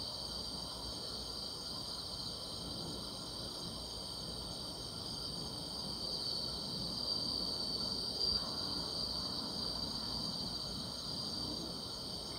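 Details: Summer night chorus of grass insects: a continuous thin, high buzzing band that brightens slightly after six seconds, over a soft background hiss.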